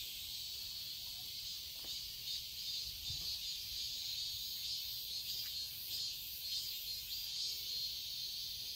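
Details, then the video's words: In a summer garden in Seoul, Korea, cicadas keep up an unbroken high, hissing buzz that swells and fades unevenly, with a few faint clicks and a soft low knock. "Cicadas chirping sounds"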